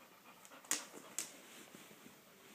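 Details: Black Labrador puppy indoors, heard as quiet breathy panting with two sharp hissing puffs near the start, soft sniffs and faint snuffles after, in a small room.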